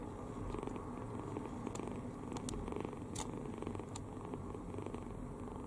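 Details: Open-mouthed kitten sleeping deeply and contentedly gives a steady rumbling snore, breath after breath, with a few faint clicks and rustles in the background.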